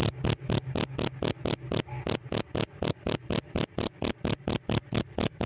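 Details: Pet cricket chirping, its chirp praised as special; sharp, high, pure-toned pulses repeated steadily about three times a second, each a short clean burst over a faint broadband click, with a brief pause near the middle.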